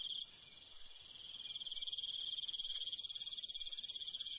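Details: Night insects in rural countryside, crickets giving a sustained high, fast-pulsed trill that grows a little louder toward the end, joined by a thin, very high sizzling chorus.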